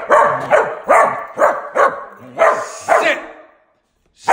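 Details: Dog that talks back when told to sit, giving a run of six quick, mid-pitched barks about half a second apart, then a short silence and the start of another bark.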